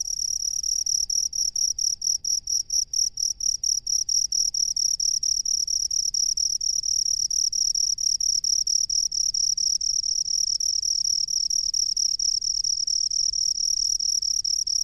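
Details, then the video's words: Cricket of the rice fields starts with quick, evenly spaced high chirps that merge into a nearly unbroken shrill trill for the rest of the recording. "SUARA JANGKRIK PENGHUNI SAWAH"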